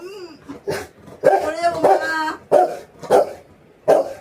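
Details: Domestic Rottweiler barking to demand affection: a brief whine opens, then a run of sharp, harsh barks, about five in four seconds at an uneven pace, each loud and abrupt. A woman talks nearby.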